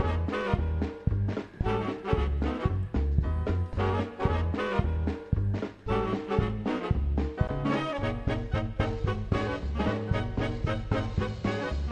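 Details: Lively swing music with brass and a steady beat, and no animal sounds.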